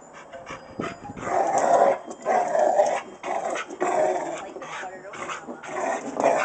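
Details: Rottweiler. A Rottweiler voices a series of throaty, drawn-out barks with a grumbling edge, each burst close to a second long. The calls come in quick succession with short gaps between them.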